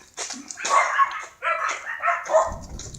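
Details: Siberian Husky named Mero, out on a relaxing walk with its owner, recorded 7 July 2016: a run of loud, rough barks in quick succession, uneven in spacing, with a brief low rumble near the end.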